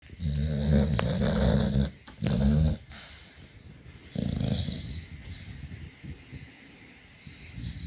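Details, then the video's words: Dogs snoring, low rumbling breaths in two loud bursts followed by softer, raspier breathing, with faint background hiss. "Totally Funny Dogs Snoring"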